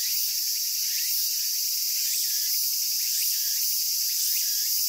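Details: Cicadas in Japan sing a steady, high-pitched buzzing drone without a break.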